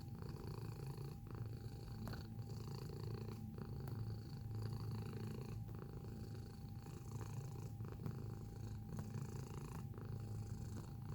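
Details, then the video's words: Domestic cat purring at close range, a thick low vibrating rumble pulsing with its breathing roughly every second, with a faint tap now and then. "Feline Observational Video - Purring Sound Effect"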